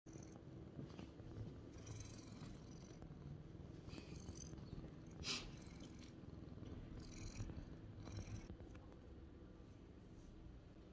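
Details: A lynx point (tabby point) Siamese cat purrs indoors while following the camera, a steady low rumbling drone running throughout, with soft scattered clicks and rustles on top.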